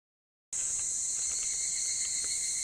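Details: Higurashi cicadas at summer dawn in Ishiguro. Half a second of silence, then a dense, shrill, continuous ringing, high and steady with faint pulsing beneath.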